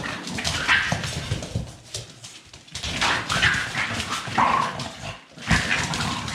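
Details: Staffordshire Bull Terrier puppies: a run of short, high squeaky yelps and whines, several sharp and rising, over constant broadband scuffling and rough play noise, with brief low growly bursts between the cries.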